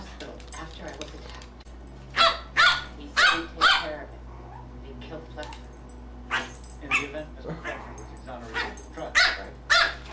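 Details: Two dogs at play, one black and white: a group of four sharp barks early on, quieter growls and yaps, then another burst of barks near the end, over a constant low hum and background talk.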